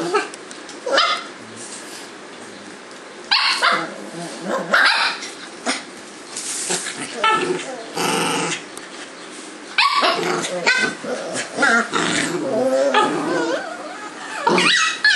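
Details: Two Cavalier King Charles Spaniels play-fight, rolling around together on a kitchen floor and trading snarly growls and sharp yaps in quick bursts.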